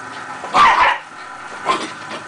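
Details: Miniature Pinscher, a pet dog, chasing a red dot indoors: one sharp, loud bark early on, then a softer second bark about a second later, with a person talking to the dog around them.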